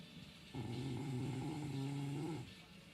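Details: A sleeping dog snoring through the night gives one drawn-out, low, droning groan that lasts about two seconds, steady in pitch and rich in overtones, in a quiet indoor room.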